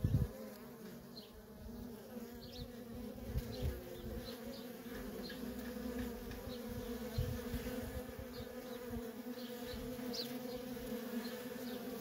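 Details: Dense, unbroken hum of worker honey bees streaming in and out of a feral colony, a rich buzzing drone holding steady throughout with occasional soft high chirps.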